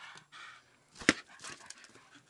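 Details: Archie the dog pants while playing ball indoors, breathy rasping bursts in quick succession with a sharp thud midway; a man's voice is heard around it.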